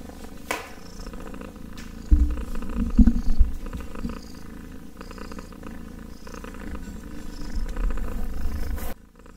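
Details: Purring kitten heard very close, a strong deep rumble with rhythmic pulses and louder bursts, plus handling rustles, before the sound cuts off at the end.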